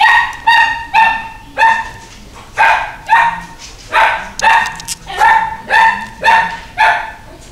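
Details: Female Toy Poodle barking, a series of sharp, high, slightly hoarse barks, about two per second in uneven rhythm, some doubled in quick pairs.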